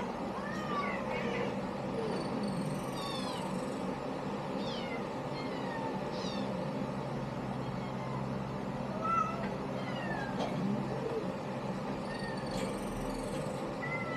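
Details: A litter of kittens calling in a busy chorus of shrill, bent meows, several voices overlapping through most of the stretch. A continuous low mechanical hum sits underneath.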